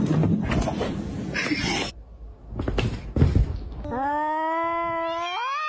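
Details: Cats fighting: thumps and scuffling noise first, then a long harmonic yowl that holds steady before rising sharply in pitch at the end.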